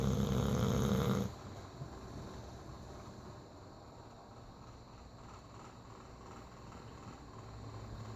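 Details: A bulldog snores in its sleep: one loud, harsh, vibrating snore at the start, then quiet, soft breathing for the rest.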